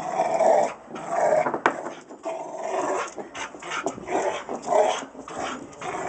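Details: A Rottweiler getting its workout makes harsh, throaty growls and barks, with strong bursts near the start, around one second, and again past four seconds, separated by quieter rasping breaths.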